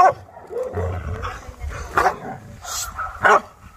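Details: Chow Chow named Maike during dog training on arrival, described as chaotic and not stopping biting; a few sharp barks near the end over background music and low voices.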